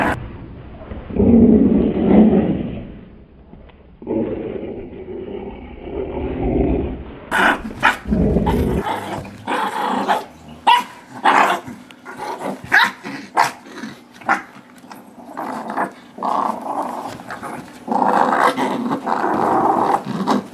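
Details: During a tug of war between a 9-month-old blue Doberman pinscher named Nibbler and a tiny Shorkie named Biscuit, long low rumbling growls open, then give way to choppy, rapid snarling bursts with scuffling.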